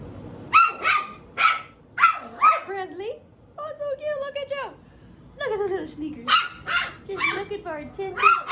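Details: A seven-week-old puppy from Phoebe's litter barks to get attention: quick, high, ringing yaps in a steady run, then a long, level whine of about a second, then the yapping starts again. A person talks softly in the background.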